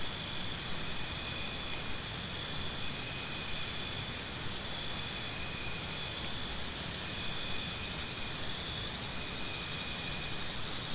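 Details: A cricket gives bursts of sharp, high chirps, about two each second, in runs of several seconds with pauses between. A steady shrill insect drone continues underneath, with brief higher buzzy trills.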